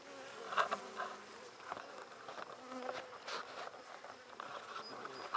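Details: Buckfast honey bees in a beekeeper's first, handmade hive, opened on 23 May 2009 to check brood growth; a steady low hum with a faint overtone, broken by sharp clicks and knocks as frames are handled.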